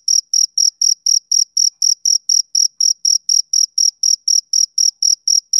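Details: Male cricket chirping steadily, about four short high-pitched pulses per second, with roughly 22 evenly spaced chirps and no other sounds.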